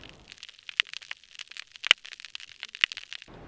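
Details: A hydrophone in a healthy hard-bottom habitat of soft corals and large sponges in Florida Bay picks up a dense snapping shrimp chorus: sharp, bright clicks, the loudest about once a second, over a constant fizz of fainter snaps.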